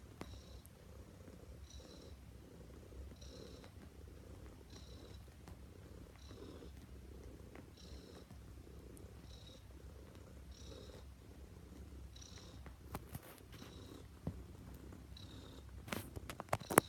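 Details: Neva Masquerade cat (Siberian Blue Point), female, bred in Russia, kneading the bed; long even purr rising and falling in breath cycles roughly every one and a half seconds, with sharp rustles and scratches near the close.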